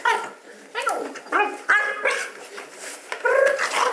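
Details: Buddy, a pet dog playing wildly in his bed at home, lets out high yips and whiny barks that bend in pitch, several in four seconds, while a man's voice talks over them.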